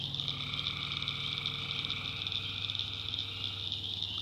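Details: Tree frogs at night in a swampy North Carolina backwoods: a steady high chorus with a faint lower drone and a rapid low pulsing beat throughout.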